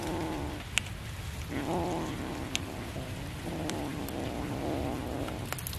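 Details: Cat during a fish feeding, uttering two moderate, drawn-out meows separated by about a second, against steady noise with a few faint clicks.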